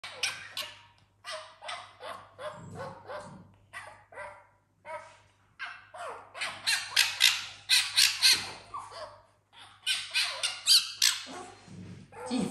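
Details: Fennec fox named Tiffany, kept in a house with other exotic animals, playing with a dog called Africa; rapid bursts of sharp, squeaky chattering calls repeated several times a second, rising to a dense run, with a person's voice between.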